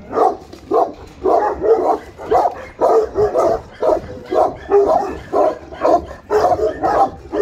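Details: Guard dogs, an Alabai and a Tibetan Mastiff, kept in Pogoanele, Buzău, give heavy, gruff barks in a steady string, one about every half to three-quarters of a second, each bark full and throaty.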